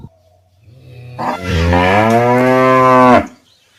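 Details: Cow giving one moo: a low hum builds, then a loud harmonic moo of about two seconds, slightly rising and steady, ending abruptly.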